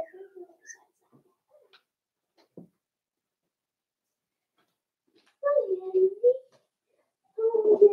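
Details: Daisy's four-week-old Cavalier King Charles Spaniel puppies in an indoor pen. Faint soft noises are followed by a drawn-out wavering whine that dips and rises, then a second whine starts just before the end.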